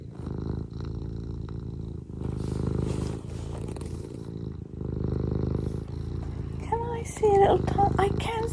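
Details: Purring from Eric, a house cat, low and fast-pulsed in long stretches between breaths, with a woman's voice speaking gently toward the end.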